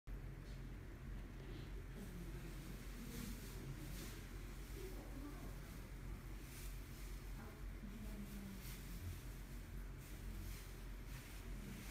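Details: Steady low rumble like a vehicle or engine, with faint murmured voices and no animal calls.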